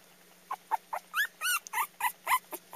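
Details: A dog barking for the first time: a rapid string of about a dozen short, high, squeaky yips and whimpers with steady low hum in the background.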